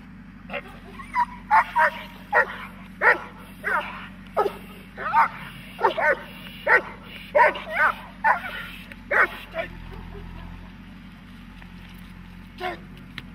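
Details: Working dog in protection training barking in a fast, uneven volley of short sharp barks for about nine seconds, then falling quiet over a steady low mechanical drone with one last bark near the end.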